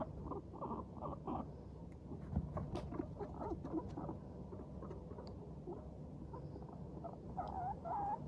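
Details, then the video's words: Walking guinea pigs in good spirits making their 'pupupu' chatter: bursts of short pulsed notes early on, quieter patter in the middle, and a few brief squeaky rising notes near the end. "軽快に歩く♪上機嫌なモルたちのお喋り Guinea pigs chatting【鳴き声】"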